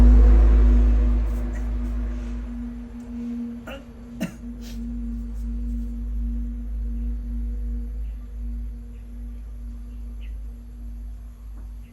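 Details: A steady low ringing tone like a singing bowl hums throughout, broken by a few sharp clicks over faint room noise.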